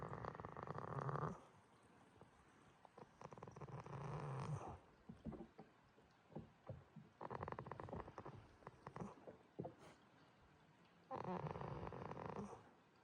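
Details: Goat named Jitta snoring in sleep at Yoshigake farm, Himi, Toyama, Japan: long rough droning breaths with a low buzzing rattle, each lasting one to two seconds, separated by quieter pauses with faint snuffles.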